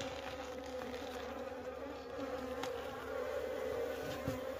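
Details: Buzzing of wild honey bees disturbed during a wild honey harvest: a dense, even droning hum that swells slightly louder in the second half, with a few faint taps in the background.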